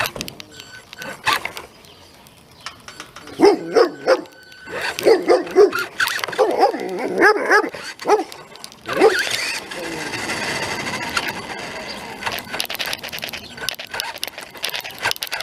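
A dog barks in short, sharp bursts, then a whirring motor and rustling noise take over.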